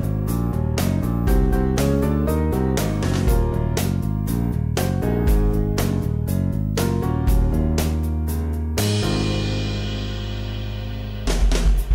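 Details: Steady background music with guitar and drums throughout, ending in a sustained chord.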